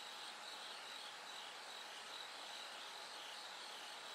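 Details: Bell cricket singing through the night as it gradually grows brighter: short pulsed chiming notes at a high pitch repeat within a dense, steady hiss of other insects.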